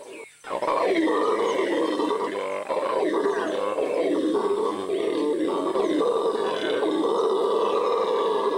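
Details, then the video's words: Deep, continuous roaring howls from a Venezuelan red howler monkey in the Amazon start after a short quiet moment, then hold a steady, rasping drone throughout. "Howler Monkey, the loudest sound in the Amazon"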